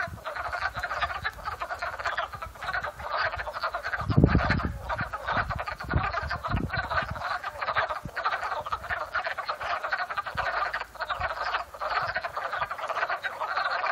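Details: Spring pond chorus of frogs in Upstate New York, April 12, 2014, afternoon; many callers trill together in an unbroken, loud mass of sound, broken by a brief low thud near the middle.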